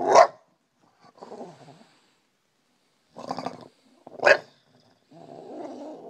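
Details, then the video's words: Bulldog waking its owner up: two sharp, loud barks with soft grumbling growls between them, then a longer low rumbling grumble at the end. "Brutus the Bulldog wakes me up"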